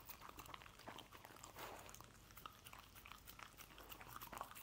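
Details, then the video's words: A dog chews and licks scrambled egg, producing steady wet smacking and clicking sounds with brief louder gulps throughout. "Dog Eating Egg Scramble"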